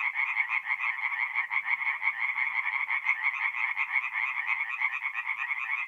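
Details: Forest pond at night in north-east Italy, mid-April, where tree frogs keep up a continuous rattling chorus of rapid croaks, roughly three pulses per second audible through the overlapping voices.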